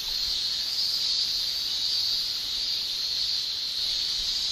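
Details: Japanese cicada males in summer in Japan, tymbal song: a steady, dense high-pitched shrill drone, continuous and unbroken, with no other clear sounds.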